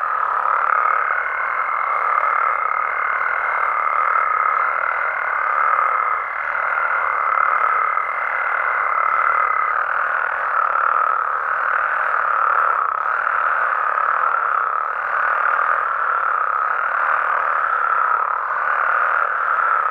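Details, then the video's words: Mexican frog and toad chorus at night in natural surroundings: dense overlapping trills that rise and fall in loudness, a steady thin tone in the first half. "Mexican Frogs & Toads Sounds"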